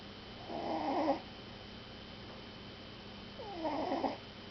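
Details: Sleeping puppy snoring: two soft, wheezy, breathy snores about three seconds apart, each lasting under a second, with a faint whistling tone over a quiet room hum.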